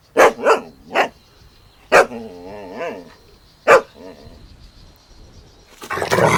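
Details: Playful Golden Retriever puppies outdoors on a meadow give a quick run of sharp barks, then wavering whines between single barks, with a rush of noise at the close.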